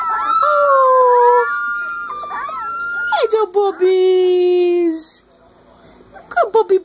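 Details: Several three-week-old Corgi pups howl in chorus, overlapping high wavering voices over a lower falling howl, then one long steady descending howl before a brief quiet and a few short yips.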